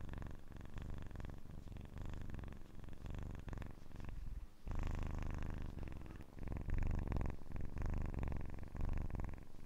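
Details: Kitten purring loudly and steadily, a low vibrating rumble swelling about every two seconds with its breathing; a short near-silent gap near the middle, then the purr resumes stronger.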